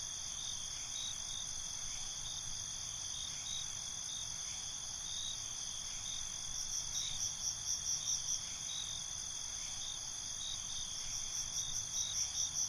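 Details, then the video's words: Crickets chirping at night: constant high insect trill, then from midway bursts of fast pulsed chirps in short groups, repeated in waves, with soft background hiss. "Night ambience, Cricket Conversations"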